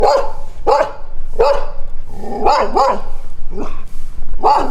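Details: Dog barking in a steady series of loud, harsh barks, about seven in under five seconds, with a few spaced closer together near the middle.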